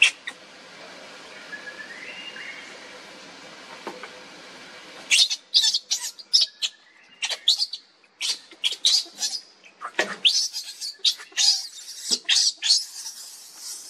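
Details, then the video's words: Baby monkey Lucie crying for its mother's milk as the mother rejects it. A faint background opens the recording, then shrill high squeals and chattering cries burst out after five seconds and continue irregularly to the end. "Lucie Beg Mom's Milk But Mom Reject Hardly I Lovely Baby Monkey"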